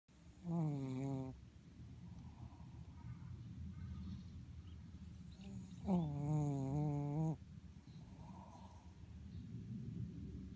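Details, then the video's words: Mocha, a pet Shih Tzu, snores oddly while asleep: two drawn-out, wavering, nasal tones about five seconds apart, each lasting roughly a second, with quiet breathing in between. "いびきをかくシーズー soring dog Shih Tzu"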